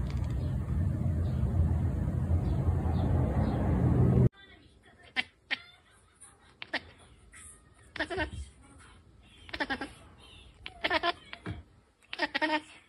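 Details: Domestic cat chittering after a stretch of loud rumbling noise: sharp clicking bursts, some with a brief tonal edge, come in uneven clusters every second or so, with quiet gaps between.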